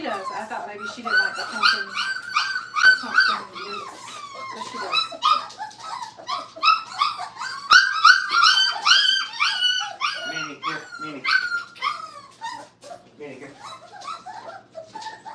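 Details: Several Brittany puppies, five weeks old, in crate training, whine and yip almost nonstop in a small room: rapid, repeated high arched cries overlapping one another for fifteen seconds, a few dropping lower near the end.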